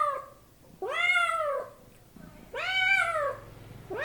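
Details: Domestic cat giving two long, clear meows about a second and a half apart. Each one arches up and then slides down in pitch, over faint low background noise, with another meow just beginning at the end.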